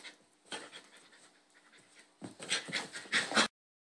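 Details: Bull Terrier puppies play-fighting, two brothers with the smaller picking on the bigger: quiet breathy panting at first, then a burst of loud, rough, noisy huffs and scuffling bursts toward the end before sudden silence.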